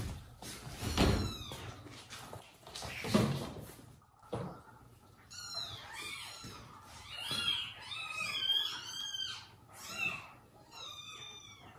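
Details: Indoors with mother cat Jaco, her newborn kittens and abandoned foster kittens, looked after alongside monkey nanny Susie; two rough, noisy cries open, followed by a rapid run of high, arching, tonal mews through the second half.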